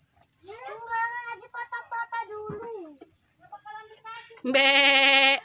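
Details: Goats being fed at a village home during a hometown visit, Indonesia. A woman speaks in short bursts over the first four seconds, then one loud, wavering, nasal bleat with a strong vibrato holds for about a second at the end.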